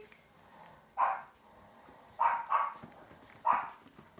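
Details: Boston Terrier household with puppy Mia, one month thirteen days old; the mother dog is barking at shepherds. Four short, sharp barks with a gap of over a second between them, the middle two close together. Faint background hum.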